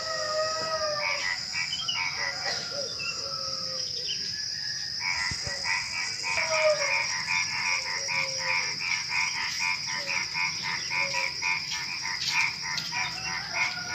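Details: Before dawn at night, frogs join crickets and other small creatures in a busy chorus: dense trains of harsh croaking pulses, fast and uneven, layered over continuous high-pitched cricket trills.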